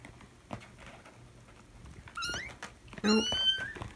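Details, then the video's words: One morning, screaming feral kittens in a litter being socialized indoors draw their mother cat Mia to check on them. Two sharp, high kitten cries follow each other, and the second is loud and drawn out, over a low room hum. "Mom Checks On Her Screaming Babies"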